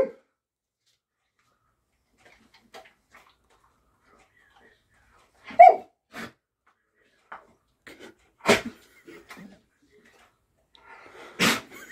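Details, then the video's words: Alaskan Malamute 'talking' on a hand command: a couple of short, moaning, voice-like sounds in the middle, with sharp sniff- or sneeze-like bursts and soft clicks spread across long quiet gaps. "Alaskan Malamute can 'talk' on a hand command"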